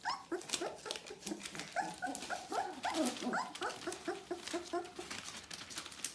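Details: Almost four-week-old Bohemian Shepherd pups of the "F" litter in a steady chorus of short, nasal whines and squeaks, several voices repeating rapidly, some notes bending upward, with faint clicks and rustles beneath.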